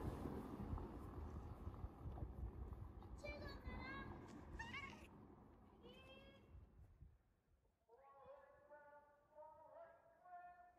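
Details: A formerly starving male stray cat gives several short meows over a noisy background. These are followed by a longer, clearer, drawn-out meow that holds steady and then rises slightly near the end.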